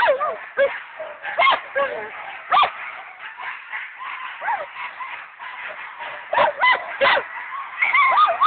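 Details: Several Alaskan Malamutes at a stake-out; a busy chorus of overlapping yips, howling whines and barks, sharp bursts repeating irregularly throughout, sounding distorted and clipped.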